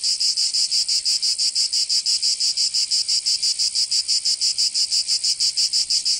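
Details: Cicadas singing in summer in Provence, southern France: a steady, harsh, high buzzing chorus pulsing evenly about six times a second, with no other sounds.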